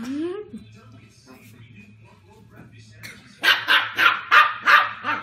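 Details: West Highland White Terrier puppy, female, on first meeting her new sibling: a thin rising whine, a quiet lull, then rapid sharp barks at roughly three per second, with a faint background hum.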